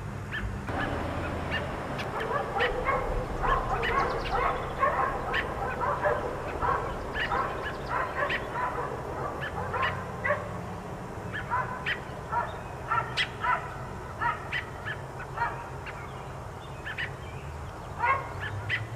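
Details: Several of the four dogs left outdoors all day bark in rapid, overlapping volleys, a dense, almost continuous chorus of yapping, steady throughout against low background rumble.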